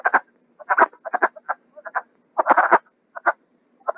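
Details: Wood frogs (Lithobates sylvaticus) in a spring breeding chorus, which lasts only a week or two, give short, hoarse, clucking croaks, often doubled, likened to ducks quacking, chickens clucking or turkeys.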